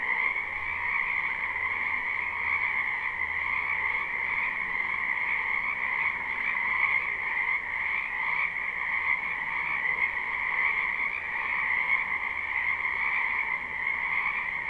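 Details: Frogs calling together from a wetland in spring, captured live without looping: a thick, constant chorus of fast trilling croaks, high and mid-pitched layers blending, with a faint low rumble at times.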